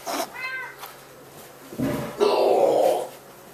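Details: Pet cat named Bobcat indoors, meowing before drinking: a short harmonic meow near the start, then a longer, louder drawn-out meow in the second half, with a person's voice nearby.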